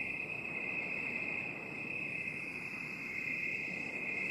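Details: Steady cricket trill, binaural 8D: a continuous thin, piercing, high-pitched buzz without pauses or distinct chirps, over a faint rustling hiss.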